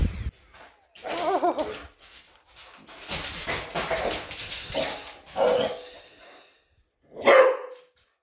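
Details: English Bulldog indoors reacting to a vacuum cleaner, giving a few separate loud barks spaced several seconds apart, the last one sharp and strong, with a woman's voice talking to the dog between them.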